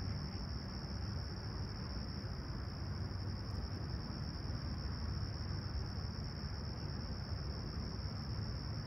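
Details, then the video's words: Unbroken high cricket trilling on a serene, clear summer sunrise, 20ºC, Humber Bay Shores, Toronto, 28 July 2020, set against a dense low rumble of distant vehicles. "Serene Summer Toronto Morning With Chirping Crickets"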